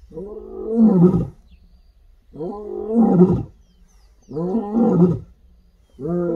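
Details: Gravelly, medium-pitched roars from a female lion in the wild on an African reserve, sent out across the bush: three long deep moans about two seconds apart, and a fourth just beginning.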